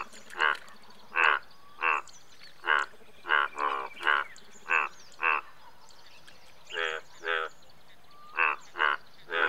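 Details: Indian bullfrog giving a steady series of about fifteen short, hoarse croaks, roughly one every half second, with occasional pauses and faint higher chirps in the background.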